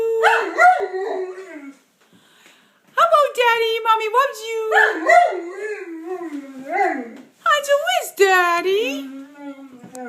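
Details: Male Bernese Mountain Dog, 15 months old, answers a woman repeating "I love you" indoors with wavering, rising and falling howl-talk, alternating and overlapping with her affectionate speech.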